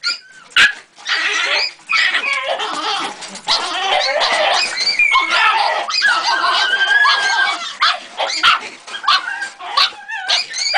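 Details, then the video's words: Young Jagdterrier pup, three months old, barking and yelping almost without pause, a dense run of harsh, high calls with occasional drawn-out whiny notes and a few sharp clicks. "Jagdterrier 3 luni"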